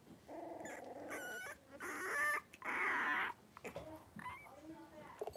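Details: Five blenheim Cavalier King Charles Spaniel puppies, three weeks old, wrestling and playing in an indoor puppy pen. Bursts of high, harmonic squeals and yelps alternate with rougher grumbling noises and short gaps.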